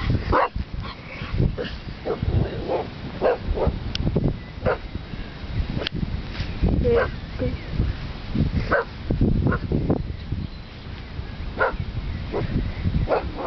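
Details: An English Bull Terrier on a walk along the Thames barks madly at cows in rapid, harsh bursts, over and over, against a low rumbling background.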